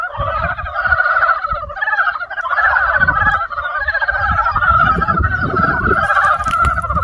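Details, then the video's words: Dense spring chorus of frogs: rapid rattling croaks from many callers merge into a loud, wavering two-toned drone, with intermittent low thumps beneath. "개구리소리 the sound of frog broke spring"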